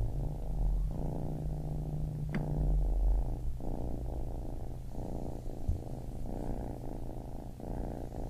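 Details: Baby kitten purring steadily, a low rumbling vibration that swells and fades in breath cycles roughly every second, with a faint constant low hum underneath and one brief click.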